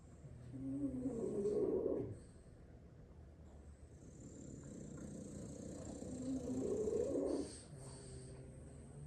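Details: Six French Bulldog siblings asleep at midday, lying wherever they dropped after playing; two slow, rattling, throaty snores about five seconds apart, each building then stopping abruptly, with softer wheezy breathing between.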